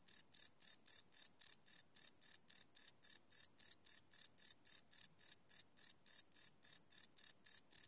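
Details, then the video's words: Live night recording of crickets on a Sony PCM D100 field recorder: crisp, high, rasping chirps repeating steadily about three to four a second, clean with no other animals or background sounds. "Cricket Chirp Sound - Cricket Sounds at Night"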